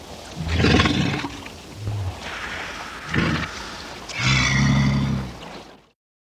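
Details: Walrus (Odobenus rosmarus), bellow.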